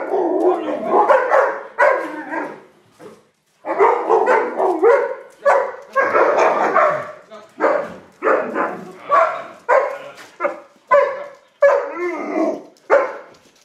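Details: Two Alaskan Malamutes at feeding time give excited, wavering woo-woo vocalizations in bursts, with short barks mixed in.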